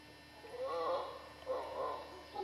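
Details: Distant howler monkeys in Costa Rica's western dry jungle give two rough, moaning roars, each swelling and fading over about a second.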